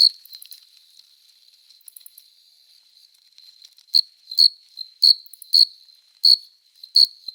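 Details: Cricket stridulating on a summer night, a male singing in courtship to attract a female; short loud high chirps at irregular intervals, quieter scattered chirps in the first seconds, then a run of strong chirps.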